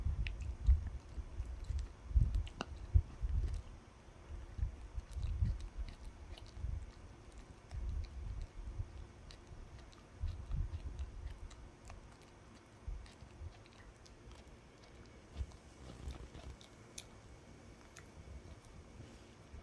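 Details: Pet dog eating a dog chew indoors, low thudding gnaws and crunches in irregular bursts, heaviest in the first half, with sharp clicks of teeth scattered throughout and quieter chewing toward the end.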